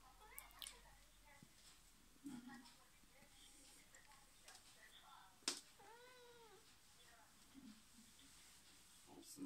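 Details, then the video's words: Domestic cat in a mostly quiet room, a single clear arching meow rising and falling in pitch near the middle, with faint scattered clicks and bumps around it. "Cat meow"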